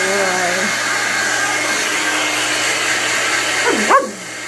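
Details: A male Irish Setter, who talks and barks if his blow-dry stops, gives a thin whine under the loud hum of a hair dryer. A short sweeping yelp comes near the end.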